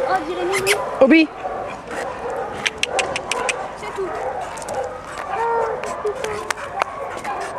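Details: Young male black Labrador Retriever cross with white chest bib, ten months old and very playful, at a rescue shelter: a loud rising yelp early on, then scattered short yips under steady French conversation.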